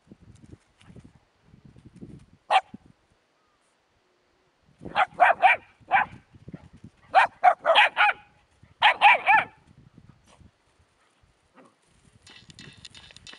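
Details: Puppies together with a hedgehog give a single yip, then bursts of short, sharp, high barks in quick clusters, with soft rustling and scuffling between them and faint noise at the end.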